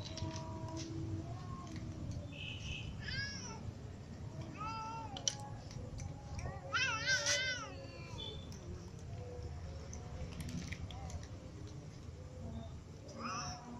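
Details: Several domestic cats, a ginger cat among kittens and others, meow while eating: a series of rising-then-falling harmonic meows, one louder wavering cry near the middle, over steady low rumble and scattered clicks.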